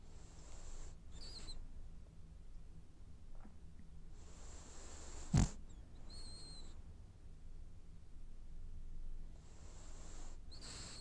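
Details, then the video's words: Sleeping French Bulldog snoring while it dreams: airy, hissing inhalations with a faint whistling edge come in irregular bursts every few seconds over a low, steady rumble, with one sharp click near the middle. "Snoring French bulldog has dreams"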